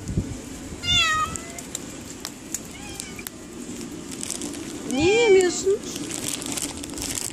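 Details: Cats meowing in cold, rainy weather: several short harmonic meows, a high wavering one early, a faint pair mid-way, then a louder bending meow, over a steady hiss of rain-like noise.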